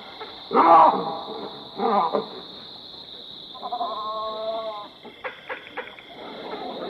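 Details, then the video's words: Baboons in the African bushveld: a loud harsh barking burst near the start, a second rougher bark around two seconds, then a wavering harmonic call and short broken barks, over a steady high-pitched buzz throughout. "African Bushveld, Baboons Sound Effect"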